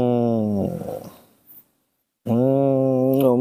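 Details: Baby monkey Nomi throwing a tantrum because it does not want to be hugged: a steady, droning wail rich in overtones, then a short break and a second even wail, indoors in a small room.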